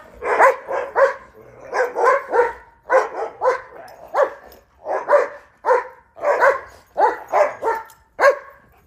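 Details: Barking during a winter romp in Chicago snow, where German Shepherds and a Rhodesian Ridgeback jump, run and chase each other; a steady stream of about fourteen full barks, often in pairs, with little pause between them.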